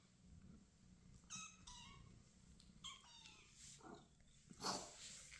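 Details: Rescued young kittens calling to their mother to be nursed; a few short, high mews over soft rustling and bumping sounds nearby.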